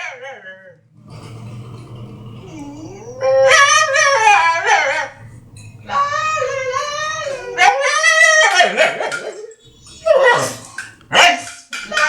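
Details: A dog's comical vocalizing: low murmuring background, then several drawn-out yodeling whines and howls that bend in pitch, separated by short pauses, ending in choppy yelps.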